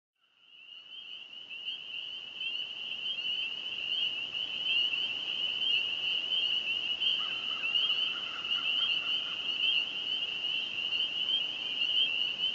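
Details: Dense evening chorus of many spring peeper frogs at a small lake on the old Burwash prison farm south of Sudbury, Ontario, Canada, May 9, 2015, heralding spring: continuous overlapping high peeps, with fainter lower trilled calls midway.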